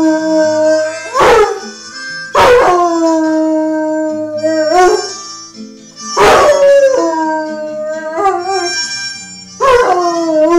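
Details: Rhodesian Ridgeback howling plaintively whenever the harmonica plays, here during "Tiefes Leiden" by Joint Venture; drawn-out wavering notes that dip in pitch mixed with harmonica tones, punctuated by several loud, abrupt bursts.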